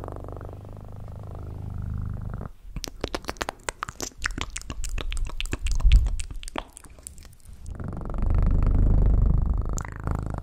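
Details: Close, low purring from a cat at the start and again near the end, a deep pulsing rumble; in between comes a run of crisp clicking and tapping noises with only faint purr underneath.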